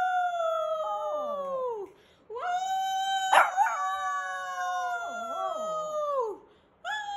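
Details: Pet Shih Tzu giving drawn-out howls that hold a level pitch and dip and wobble as they fade, two long howls separated by brief breaths.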